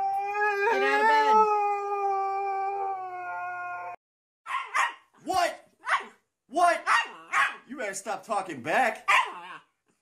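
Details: Siberian Husky vocalizing: a long, steady, level-pitched howl held for about four seconds, then silence, followed by a rapid series of short, sharp yips and barks.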